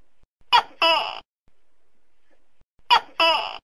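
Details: Two tokay gecko calls, each a brief sharp syllable running into a longer harsh, descending second note, separated by a quiet gap of about two seconds.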